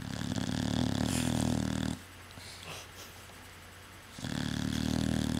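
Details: Sleeping pet dog snoring indoors: a rough, low rumbling snore lasting about two seconds, a quiet pause with a soft breath, then another long grating snore begins.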